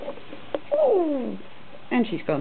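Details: Persian cat named Janelle, indoors, playing and running about two weeks after being shorn of her long fur; a single drawn-out meow slides downward from mid to low pitch, followed by a woman's voice.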